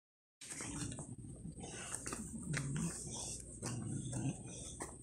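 An English Bulldog grunts and snorts in low, rough bursts, with a voice murmuring in the background.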